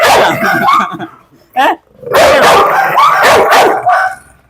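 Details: Dog being provoked during a dog challenge meant to make it bite. Raspy barks come in clusters, separated by a short quiet stretch and a single yelp, with Malayalam speech mixed in.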